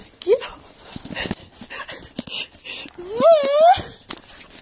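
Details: Leeloo, a 7-month-old Dobermann being super silly indoors, gives two high tonal whines: a short upward squeal, then a longer rising and wavering whine near the end, with a person talking and room noises between them.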